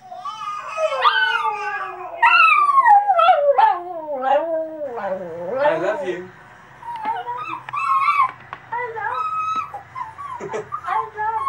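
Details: Cavalier King Charles Spaniel / Papillon mix dog howling for its first time, rising then sweeping down in long wavering howls, followed by choppier yips and whines, with faint human voice mixed in.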